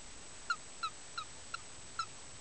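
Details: A female frog found in a forest, said to be seven years old, calling as she is lifted up: five faint, short, bright squeaks spaced about every third to half second over a low hiss.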